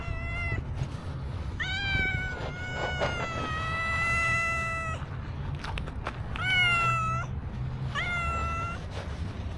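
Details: Black street cat begging for food, meowing constantly: a series of about five clear, harmonic meows, some short and rising, one drawn out for over two seconds, with low traffic rumble underneath.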